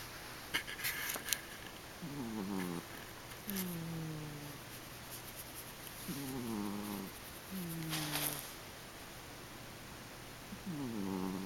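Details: {'text': 'Pet cat snoring while asleep, a low wavering rasp on each breath, recurring roughly every one and a half to two seconds, over a steady faint background hum.'}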